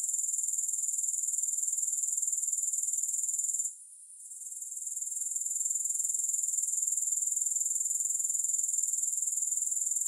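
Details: Steady shrill grasshopper chorus pulsing about four times a second, with a short quiet gap near four seconds before the high trill swells back; no other sounds.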